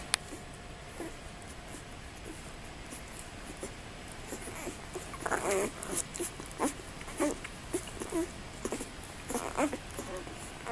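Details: Presa Canario puppies from the first litter of Major and Sasha give a run of short, high whimpers and squeaks. After a quiet opening they come in clustered bursts every half second or so, over a faint steady background hum.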